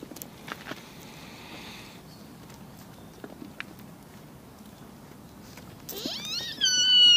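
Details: Buck deer at Nara Park, Japan, gives a loud, high, harmonic-rich bleat near the end that rises sharply, then holds a steady, strained tone. Quiet background before it has faint clicks and rustling.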